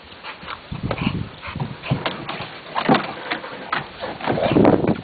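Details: Male Olde English Bulldogge playing at boxing, giving short, low, breathy grunts and huffs in irregular bursts, loudest near the end, with scuffling and thumping from the play.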